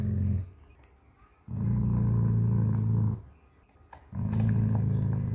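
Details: Pet dog guarding his bone as a person tries to take it: two long, deep rumbling growls of about one and a half seconds each, separated by short pauses, with a quiet voice nearby.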